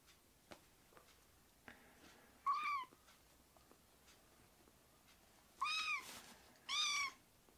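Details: Foster-care rescue kittens meowing inside: three clear, high, harmonic meows, one after a quiet pause, then two close together near the end, each short and slightly falling, over a faint room hiss.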